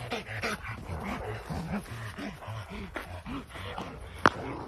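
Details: Rottweiler during a training session, giving a run of short, low, arched barks about every half second, with one sharp click near the end and a person's voice faintly underneath.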